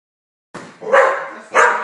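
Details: Australian Cattle Dog, a blue heeler, indoors watching television: two sharp, loud barks close together, the second following about half a second after the first, rising out of near silence.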